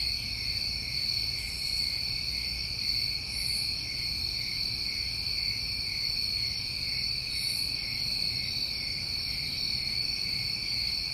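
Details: New England summertime crickets in a dense chorus: steady, unbroken high trilling in two stacked bands, with soft brief rustles higher up. No other animals or voices are present.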